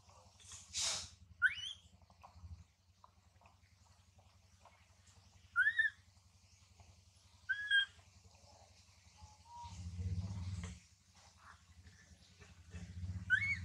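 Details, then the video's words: Tiny baby monkey Mila, being warned and weaned by her mother Malika, gives loud crying calls. Thin bending squeals are spaced a few seconds apart among soft rustles, over a constant low drone. "Poor Tiny Baby Mila Warns And Weans Her Till Crying So Loudly Sound"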